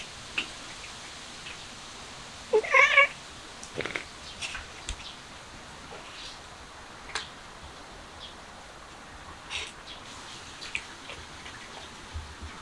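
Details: A cat eating grass gives one short, bright meow with stacked harmonics, followed by scattered soft clicks and rustles in an otherwise quiet outdoor setting.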